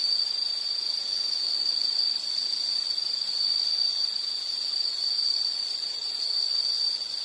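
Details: Insect calling as a relaxing nature background: a steady, high, continuous buzzing trill held at one pitch throughout, with a faint upper overtone and a soft hiss of background noise.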